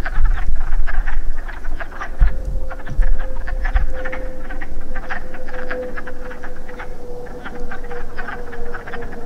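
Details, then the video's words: Wood frogs gathered to breed at a pool after rain give a dense chorus of hoarse, quacking clucks, with a steady droning hum running through and occasional low knocks. "The Wood Frog's Song"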